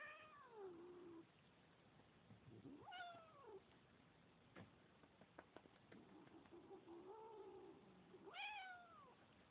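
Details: Domestic cat making noise indoors: several meows, the first long and falling, one rising-then-falling, a softer murmured mew in the middle, and a final sharp meow near the end, with a few faint clicks between.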